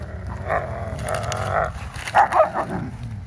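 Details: During sunset tug of war over dried palm fronds on a seaside lot at Tampa Bay, Florida, German Shepherds Kennedy and K2 give several short, throaty, tonal growls, with two brief sharper yelps near the end and wind noise beneath.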